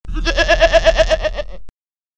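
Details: Sheep giving one wavering bleat about one and a half seconds long, with a strong quavering vibrato through the middle and a clean stop.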